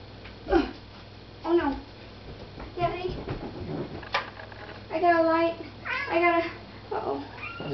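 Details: Indoor house cat excited by a moth near a lamp, uttering loud, harmonic, wavering chirps and meows, several drawn out and clustered together, over people's voices discussing the bug in the light.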